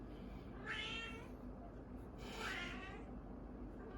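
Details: Two orange cats in a standoff produce two broad, noisy, strained yowls about two seconds apart, harsh rather than clearly tonal, against a steady low-frequency hum.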